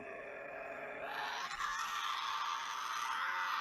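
A Tasmanian devil gives a harsh, rasping screech that swells after a low growling start.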